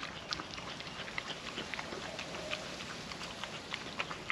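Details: Female puppy eating wet food from a food trapper mat on a windy day: quick irregular wet licks, smacks and clicking chews scattered through the clip over a steady hiss of wind.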